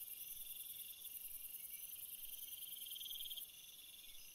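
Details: Crickets calling at night in a relaxing ambient recording, a dense high trilling chorus with a steady upper band and pulsed trills rising and falling in strength, no other sounds clear.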